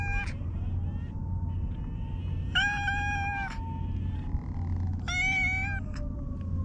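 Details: A stray cat nicknamed Hige Danshaku for its mustache-like nose markings meows in a park: a short call, then two sustained harmonic meows about two seconds apart, with a faint tone and low hum behind.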